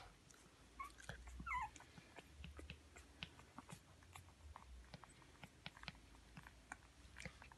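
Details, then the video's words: Japanese Spitz puppies, 12 days old, indoors: a few brief high squeaks and whimpers early on, followed by steady soft clicking, smacking and rustling sounds throughout. "Щенки японского шпица 12 дней"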